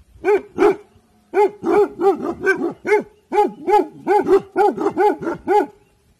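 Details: Guarding in the evening, the Bhotia dog Dabu Goli gives two barks, pauses, then launches a steady string of about fourteen loud, ringing barks in close succession.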